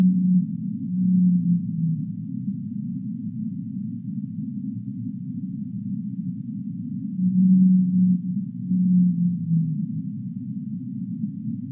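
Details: Humpback whale singing: low tonal moans, each a steady hum that slides downward at its end, come in two clusters about seven seconds apart over a constant low rushing wash of water noise.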